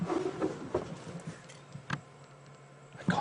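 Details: A lioness growls in low, rough short bursts over a faint steady hum on an afternoon safari drive, 29 August 2016. She has just chased a male lion, and the lions possibly jumped on a buffalo.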